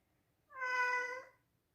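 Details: Single loud meow of an indoor pet male Scottish Straight cat, a rich harmonic tone held steady for about three quarters of a second, rising slightly then easing down at the end.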